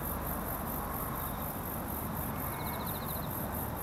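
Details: Crickets in rice paddies with red spider lilies and foxtail grass at Kamata, Fukuoka, Japan, in the spider-lily season, give faint, high pulsed chirps in short bursts with a thin steady shimmer above, over heavy low wind or field rumble.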